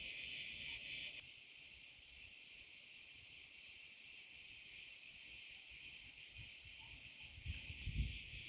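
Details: Cretan cicada (Cicada cretensis) sings after sunset in an olive grove at 34°C, a steady, high, hissing buzz that swells louder at the start and end.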